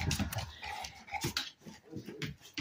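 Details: Blacky, a pet dog indoors, mad because he wants the bone: rough, low rumbling growl with breathy huffs and snorts in short bursts over about three seconds, quiet room noise behind.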